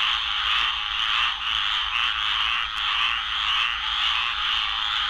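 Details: In Florida, a harsh, raspy, nonstop breeding chorus of squirrel treefrogs, with many overlapping calls.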